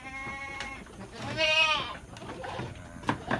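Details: Domestic goats in a fattening pen on a livestock farm in Lhokseumawe, Aceh, Indonesia: one wavering, nasal bleat of about half a second with strong harmonics, preceded by a fainter, steadier bleat, with pen clatter in the background.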